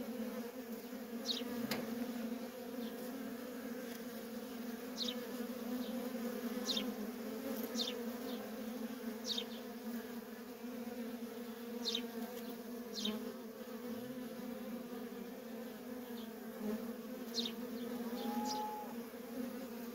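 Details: Worker bees streaming in and out of a feral honey bee colony, giving a sustained deep drone with an upper harmonic, plus sporadic thin falling chirps and one short whistled note near the end.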